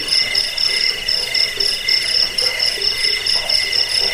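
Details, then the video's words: Crickets chirping in a recording used to repel rats, lull listeners to sleep and train songbirds; rapid pulsed high trills in several layered bands run steadily without pause, with a faint lower murmur beneath. "Suara jangkik pengusir tikus pengantar tidur"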